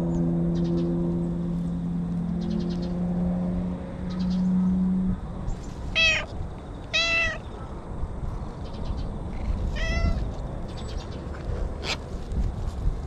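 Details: Stray cat talking from the bushes, enjoying being petted: after a low droning hum fades, three loud rising-falling meows come about a second apart, followed by a softer call and rustling.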